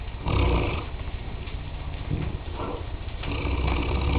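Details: Sleeping mastiff Nicole (Dralion's Nicole of Real Valley) snoring heavily; deep, rough rumbling breaths swelling and fading in long waves, loudest at the start and end.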